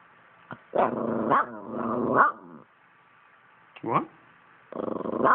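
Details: Poodle "talking": harmonic, moaning growl-whines that rise and fall in pitch, one long wavering burst, a brief rising yelp near four seconds, then another drawn-out grumble at the end, with quiet pauses between.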